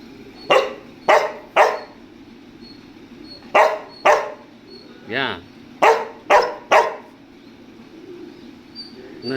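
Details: Pet dog stubbornly insisting on going into the air-conditioned room, barking in short bursts of two or three woofs separated by pauses, while a man keeps asking it in Tamil what it wants.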